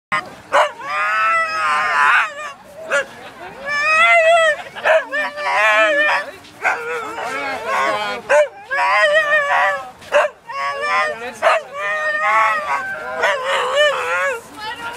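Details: Husky vocalising in a run of wavering, yodel-like howls and whines that slide up and down in pitch, coming in bursts separated by short pauses.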